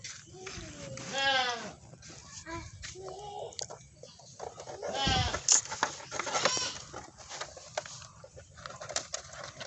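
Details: A goat kept for a meal gives a wavering, falling bleat, a short call and then a strained rising one, amid nearby chatter and handling noises.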